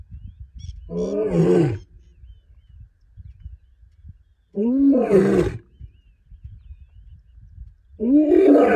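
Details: Lion in the Serengeti giving loud, harsh roars: three powerful bursts at about one, five and eight seconds, each starting abruptly and sliding slightly downward, with quiet low rumble between them.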